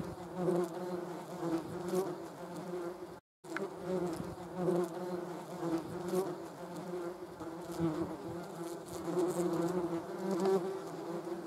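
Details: Flying German wasps, with a hornet also present, make a loud, sustained buzz with a low hum and stacked overtones. It swells and fades as the insects move, broken once by a short silent gap.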